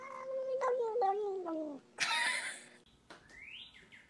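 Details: Domestic cat's long, drawn-out meow that slides steadily downward in pitch, followed by a burst of noise and a thin rising tone near the end.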